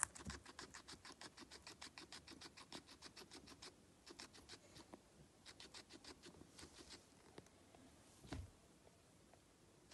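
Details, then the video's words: Indoor feeding of a guinea pig: brisk, dry bites in quick bursts with brief pauses, a louder thump near eight seconds, then quieter nibbling to the close. "cute guinea pig - feeding ASMR"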